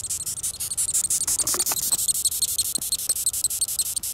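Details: Live captive-bred Death's-head hawkmoth squeaking when upset; a rapid run of thin, high-pitched squeaks, roughly three each second and fairly even, with a soft human exclamation partway through.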